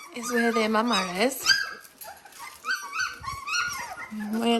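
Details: Dalmatian puppies at seventeen days old, several whining together: drawn-out, steady high whimpers that bend upward at the ends, overlapping squeals and short yelps, with human voices murmuring in a small indoor room.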